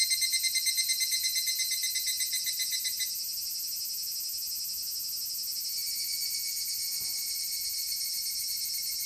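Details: In August 2014 near Dosokei, Ibara, Okayama Prefecture, Japan, an evening cicada gives a high, metallic, rapidly pulsed ringing call that fades into a steady shrill drone.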